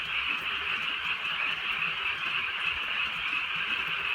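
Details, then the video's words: Many frogs croak together on a wet countryside night in soft drizzle, producing a uniform, buzzing high-pitched chorus that never breaks, with faint rain sounds beneath. "개구리 소리"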